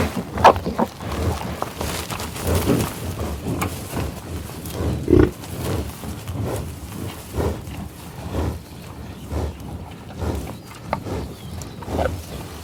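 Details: Bison in the Oklahoma tallgrass prairie, USA, field recording: spaced deep grunts and growls about every second or two, interleaved with breathy sniffs and quieter stretches.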